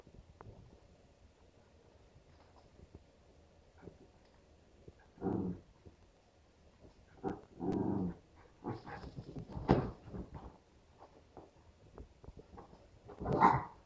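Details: Playing indoors, a two-and-a-half-month-old West Highland White Terrier puppy named Stella with three-year-old Nappy: scattered short growly grunts and soft whimpering bursts every few seconds over quiet background, ending in a sharper higher yelp.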